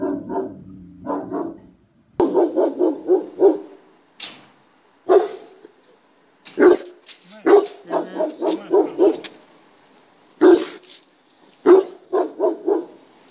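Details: Barking German Shepherd undergoing a test, delivering repeated bursts of three to five rapid, resonant barks separated by short pauses, with a few sharp clicks and knocks between bursts.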